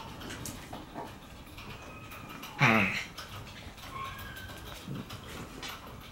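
A Shiba Inu puppy gives one brief, sharp snarling yelp while play-fighting in a quiet room.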